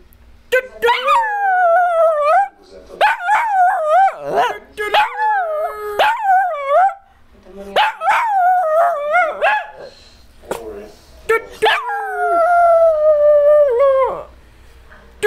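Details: A puppy makes a long string of whining, howl-like calls. The calls are bent and rise and fall like talking, come in runs of a few seconds with short breaks, and include a few sharp yips.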